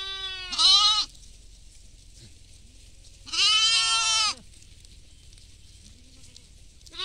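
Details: A goat feeding in a field with sheep gives two loud, wavering bleats, each about a second long, separated by a quiet pause.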